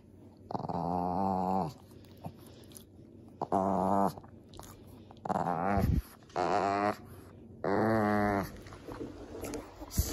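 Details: Male Shih Tzu/Pekingese mix playing with his mouse toy, affectionate and playful. Five drawn-out, harmonic growls, each lasting roughly one second, come in uneven bursts across ten seconds, with short quiet gaps between them.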